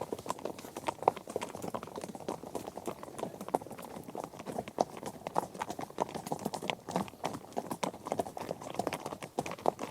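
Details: Many horses travelling together over grass, dirt, gravel and other ground; busy overlapping hoof impacts form a constant crunching clatter, with some crisp clops rising above the mass.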